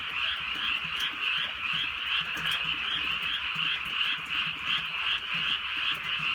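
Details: Countryside night in light rain, with a thick chorus of many frogs. Fast, overlapping croaks merge into an unbroken buzzing drone that swells and eases slightly, and faint patter of raindrops sounds beneath.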